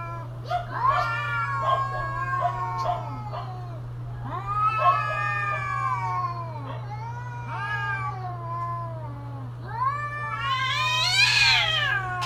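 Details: Domestic cats during mating season giving long, wavering, rising and falling yowls in drawn-out moaning phrases, with a final higher, strained wail; a steady low hum runs underneath throughout.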